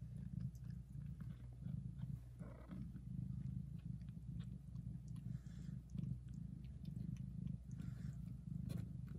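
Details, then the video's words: Deep continuous purr from a mother cat tending her young kittens, mixed with soft wet licking and rustling sounds as she grooms them. "Mom cat purrs very loudly and licks her kittens"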